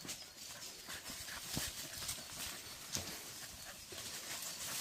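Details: Young dog in training as a wild boar hunting dog, exercising in hot weather; rapid, steady breathy panting bursts, evenly repeated several times a second, with outdoor rustling and ground noise behind.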